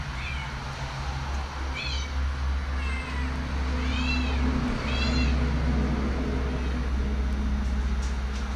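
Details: Cat eating bok choy gives a run of short, high, arched mews in quick succession, partly masked by a steady low droning hum throughout.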